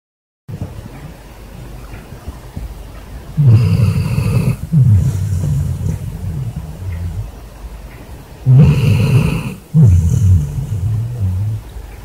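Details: Basset hound asleep in bed after a hard day, snoring as loud as a man: deep, rumbling low snores in long drawn breaths, with two louder harsh surges roughly five seconds apart.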